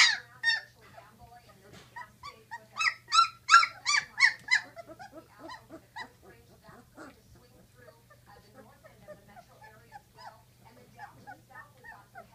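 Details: Great Dane puppies, 16 days old: a litter giving rapid, overlapping high-pitched whines and squeals with harmonic overtones, swelling into a loud burst near the third and fourth seconds, then trailing off into softer scattered whimpers.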